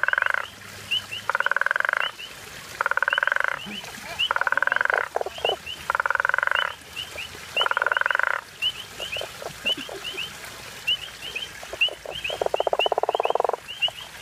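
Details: Guttural toad, also called African common toad, on safari in Hazyview, giving long pulsed snoring calls about a second each, repeated every one to two seconds, with short high chirps ticking steadily above.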